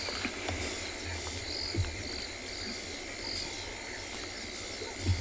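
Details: On a sunset safari at dusk on 8 October 2020, crickets trill steadily at a high pitch over a soft low rumble, with frogs, including a brown-backed tree frog, calling too.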